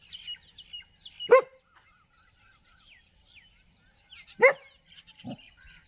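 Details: Street dog in a village with two sharp barks three seconds apart and a short low grunt after, while small birds chirp and twitter throughout.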